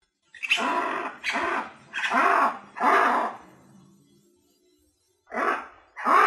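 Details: Lemurs screaming: four loud, harsh, wavering cries in quick succession, each about half a second, then a pause and two more cries.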